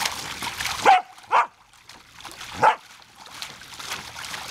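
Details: Savannah, a female Samoyed, barks while playing with water from a garden hose in summer: two quick sharp barks, a pause, then a third, over soft trickling water.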